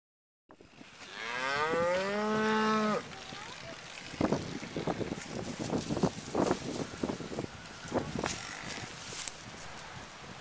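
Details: ['Cattle in a herd surrounding a pickup truck, recorded from the truck bed: one long, loud moo lasting over two seconds, slightly rising then falling, followed by scattered knocks and thumps.']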